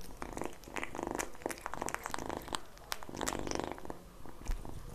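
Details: Kitten eating egg yolk indoors, giving short humming, purr-like murmurs in three bursts between moist licking and smacking clicks.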